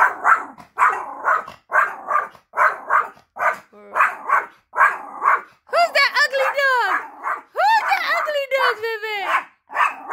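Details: A small female Chorkie barks at her own shadow in quick, sharp yaps, about two each second, while a woman excitedly urges her on.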